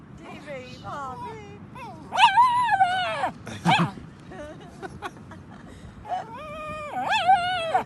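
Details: A Cairn Terrier, a dog that hates kites, gives drawn-out, wavering whines and moans that rise and fall like a yodelling howl.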